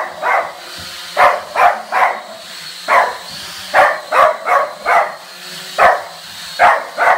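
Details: A dog barks at a drone in irregular bursts, mostly single barks or doubles and triples, about a dozen in seven seconds, while a thin, steady high-pitched whine hums in the background.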